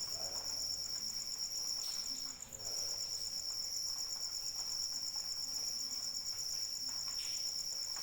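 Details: Cricket calling in rain, a continuous high pulsed trill at steady pitch with faint harmonic band above, briefly dropping out near the midpoint; soft rain patter and occasional drip sounds underneath.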